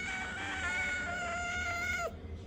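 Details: A cat gives one long, drawn-out meow of about two seconds, steady and tonal with rich overtones, dropping sharply in pitch at the very end; low background hum throughout.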